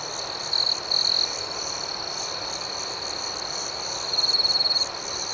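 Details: Crickets chirping at night outdoors: a steady high-pitched ringing drone with faint pulsing above it, broken by two short louder trills near the start and a longer trill toward the end.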